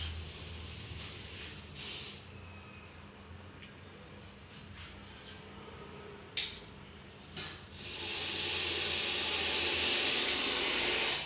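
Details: Russell's viper, known in Tamil as kannadi viriyan, a deadly venomous snake caught in Coimbatore. After scattered clicks and rustles, a loud steady breathy hiss swells up and holds for several seconds, with faint low hum beneath.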